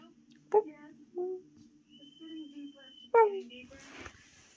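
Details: A Harz Fox crossbreed dog gives short, wavering howls that slide downward, answering a husky's howling played from a YouTube video.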